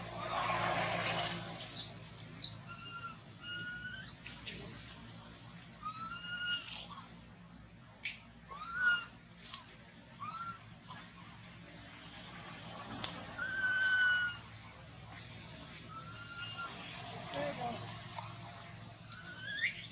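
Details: Baby monkey whimpering after its mother denies it milk: scattered short, bending wails, some rising and some falling, separated by pauses. Soft background hiss and occasional clicks run beneath.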